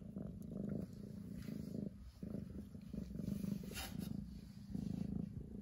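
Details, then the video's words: A domestic cat purring loudly, described as its loudest session yet: a deep, steady rumble pulsing in even waves with brief breaks between breaths, close and continuous. "Loudest purring in the world"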